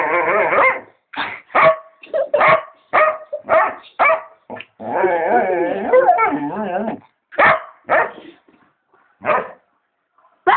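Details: Pet dog barking and making funny noises: a rapid run of harmonic barks and yelps, including a long drawn-out, wavering howl-like whine in the middle, then more spaced barks.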